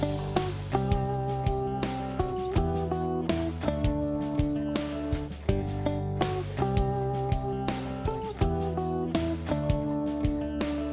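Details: Strummed acoustic guitar plays a steady, rhythmic music track, with repeated plucked chords throughout and no animal voice audible.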